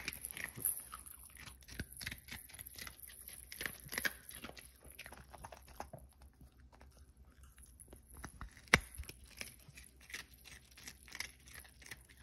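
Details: Cookie, a Pomeranian dog, eating in December: a steady run of crisp, sharp crunching clicks from chewing, scattered irregularly over about twelve seconds, with an occasional louder snap near the end and a faint high hiss behind.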